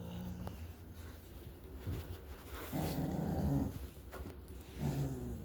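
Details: A dog growling: low, rough, buzzy rumbles in a few short bursts, the longest lasting under a second, over a faint steady background hum.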